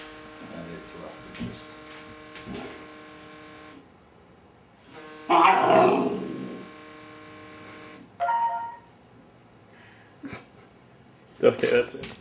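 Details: Labrador Retriever puppy indoors, barking at and playing with a vibrating cellphone. A loud harsh bark-like burst comes midway, with shorter bursts later, over a steady electric buzzing hum and a person's voice.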